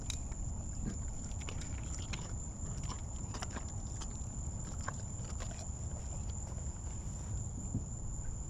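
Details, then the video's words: An 18-year-old lion at Big Cat Rescue, coaxed into eating, gnaws a leg bone: sharp irregular cracks and crunches come in quick bursts over a steady low rumble and a faint high whine. "Lion VS Legbone"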